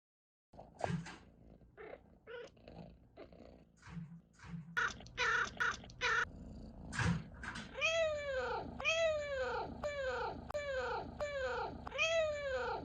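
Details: Domestic cat chirping: scattered clicks and short bursts at first, then a fast run of bright, harmonic chirps, each sweeping downward, repeated about twice a second indoors.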